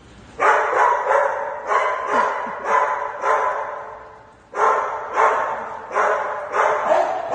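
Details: Sky, a fluffy male Shih Tzu, excitedly reacting indoors on hearing he is going to Dog Dayz daycamp: rapid, high, harmonic yapping barks in quick runs, about a dozen bursts with one short pause near the middle.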